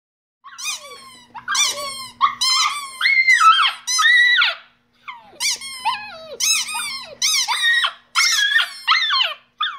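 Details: Pet Shiba Inu dog singing indoors: a run of high, wavering yelps and howls with bending pitch and rich harmonics, in two bursts separated by a short pause, with a faint low hum in the room.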